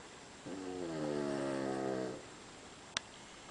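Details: Sam, a Cavalier King Charles Spaniel, snores while sleeping in bed beside another Cavalier, Charlie. A single drawn-out, buzzy, evenly pitched snore lasts about one and a half seconds, followed by quiet and one sharp click.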